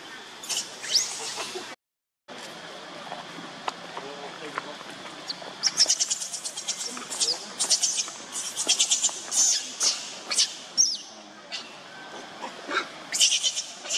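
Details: Hungry baby monkey named Leo crying and begging its mother for milk: bursts of high, thin squealing cries, repeated every second or so in uneven runs, with a brief silent gap near the start and some background noise.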